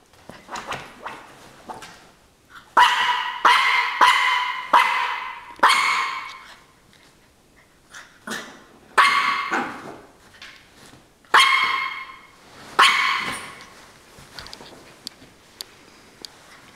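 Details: Norfolk Terrier fighting a pillow indoors, letting out bursts of rough, snarling growls and short barks, each outburst lasting about a second, in clusters separated by quieter pauses with soft snuffling noises.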